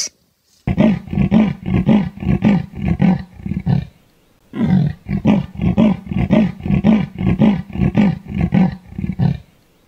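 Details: Leopard giving a rasping, sawing roar: two bouts of low, harsh strokes repeated at a steady rhythm, nearly two per second, with a pause of about a second between the bouts.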